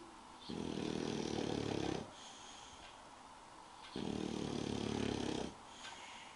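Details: Spike the English bulldog sleeps and snores in two evenly spaced, loud, rasping drones of about one and a half seconds each, with soft pauses in between.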